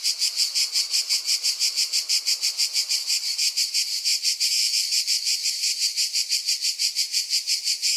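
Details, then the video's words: A cicada gives a harsh, shrill buzz that throbs in fast, even pulses, several each second, holding the same bright tone throughout, with nothing else clearly heard. "Cicada sounding"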